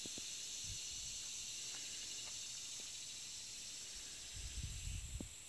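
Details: Very loud locust chorus, heard as a continuous high, shimmering hiss that never breaks. Low rumbling bumps near the end are probably handling or wind.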